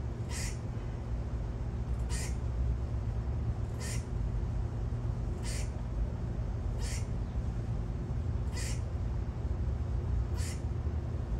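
A squirrel gives short, harsh, chuck-like calls repeated about every second and a half over a low rumble.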